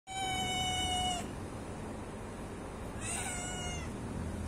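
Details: Hungry domestic cat giving two meows: a long, steady, clear meow of about a second, then after a pause a shorter, slightly falling meow, over a constant low background hum.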